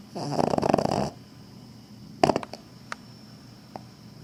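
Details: Snoring from a sleeping female Cavalier King Charles Spaniel, tail wagging unconsciously: a rough, fluttering snore about one second long opens the recording, followed by quieter clicks and snuffles in a still room.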